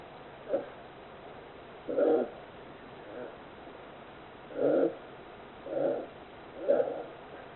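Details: Loud snoring from a 41-day-old captive polar bear cub, born 26 December 2020 at an aquarium in Oga, Akita, Japan: soft breathy rasps in irregular bursts about every one to two seconds, some short, some longer.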